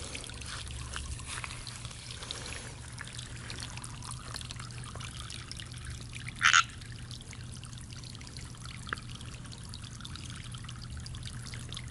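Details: Steady trickling water over a low hum, with one sharp splash-like burst and no animal calls. A faint click follows later, but no croaking or other animal voice stands out.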